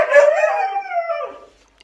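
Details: Pair of Siberian Huskies, Phoenix among them, protesting in the house about a mess; a loud, falling howl that trails off and fades into quiet after about a second and a half.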